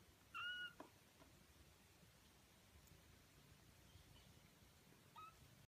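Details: A 19-day-old Birman kitten from a litter of five, filmed close up, gives a brief, high, slightly rising meow, followed moments later by a fainter one.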